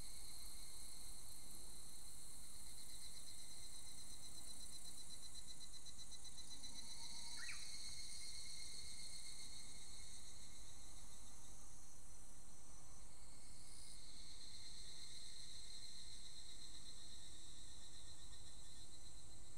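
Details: Evening cicada, or higurashi, singing just after the rainy season ends, unusually calling together with a Japanese bush warbler. High shimmering pulsed trills run throughout, with a short rising warbler note near the middle.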